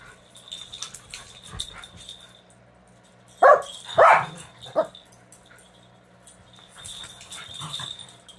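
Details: Domestic dog Leia tussling with puppies while Sadie acts as referee; three sharp, loud yapping bursts with stacked harmonics cluster near the middle, surrounded by quiet rustling and faint metallic jingling of tags.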